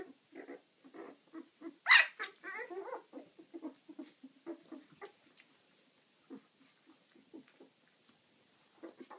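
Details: Young pups of Ziva, eleven days old, make short grunting whimpers; one shrill squeal rises above the rest early on, followed by softer nasal squeaks that fade out.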